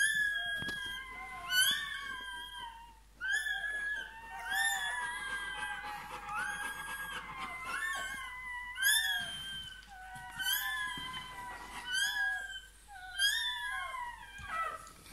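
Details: A Bernese Mountain Dog pup newly born cries repeatedly: bursts of piercing, wavering squeals arriving every few seconds over fifteen seconds, each a cluster of rising then falling notes, in a quiet room.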